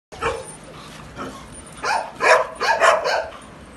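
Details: Golden Retriever puppies in Faridabad: a brief yap, then a burst of five or six high, rapid puppy barks crowding together in the second half.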